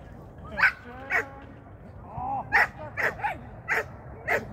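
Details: Shetland Sheepdog at its first training lesson of 2023: seven short, sharp barks in uneven bursts, each loud and bright. A brief human voice is heard in the middle over a quiet indoor background.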